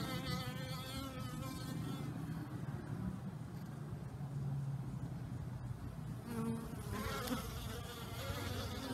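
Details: Honey bees all out flying on a warm new-year day after a night of torrential rain: a dense, continuous droning buzz with layered humming tones from many bees at once.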